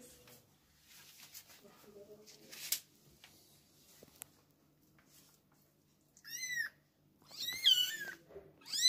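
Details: Kittens whose mother has hidden them: after a quiet stretch of soft rustling, high thin mews arrive in the last three seconds, several wavering, rising-then-falling cries in quick succession, some overlapping.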